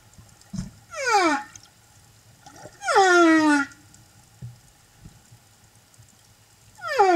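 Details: Singing humpback whale escorting a mother and her calf, Silver Bank, Dominican Republic, April 2015; three harmonic-rich downward-sweeping cries, each falling steeply and ending in a low moan, separated by quiet gaps with soft underwater clicks.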